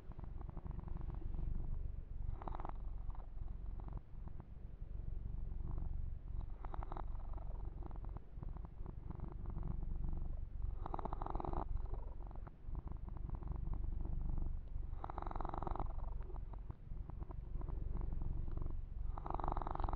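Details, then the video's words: A soft, continuous rumbling purr from Yumak, a male pet kitten being massaged, overlaid by repeated brushing and rubbing sounds every few seconds. "Ear to Ear Purring"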